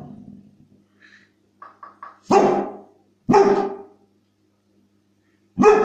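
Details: Pet dog reacting to squeaky toy sounds: a few soft squeaks and low grumbling first, then three loud, hoarse barks spaced about a second or more apart.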